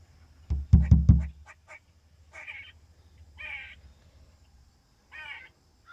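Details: A squirrel perched on a window sill, chirping after knocks at waking time: several dull thumps open, then three short, rough, buzzy, hoarse chirping barks at uneven intervals about a second apart.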